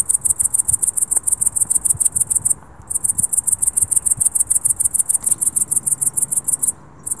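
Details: Cricket at dusk producing sharp, high, rhythmic chirp pulses in quick succession, broken by two short silences, with faint low thumps in the background.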